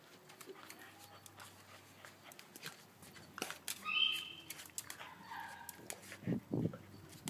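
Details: A frightened dog in Australia tries to bite a huge mantis, giving a brief high whining whimper midway, then lower huffs near the end, amid scuffling clicks and faint background noise.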